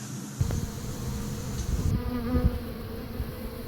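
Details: Honey bee swarm on May 3, 2016, the third swarm captured at this site: a steady low droning hum with a faint overtone above it, broken by occasional thumps and rustles close to the microphone.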